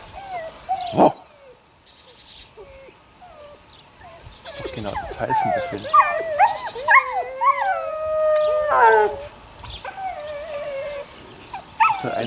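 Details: Six puppies, eight weeks old, of the neighbour's dog Sunny, whimpering and howling together: overlapping high, wavering whines that rise and fall, some held as long tonal notes, with short yelps and a sharp knock near the start.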